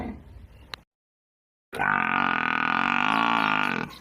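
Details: Cow in a village setting, one long, steady, harmonic-rich moo lasting about two seconds after a brief silence, preceded by low grunting noise.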